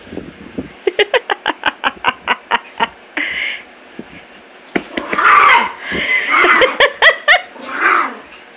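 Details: Puppies playing one morning: a quick run of about a dozen short, evenly spaced pulses, then drawn-out whining and higher tones, with a person's laugh mixed in.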